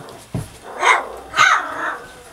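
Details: Puppies Savannah and Jericho playing in a barn during morning chores. Two loud, high yelping barks sound about half a second apart after a soft thump, with a quieter trailing whine.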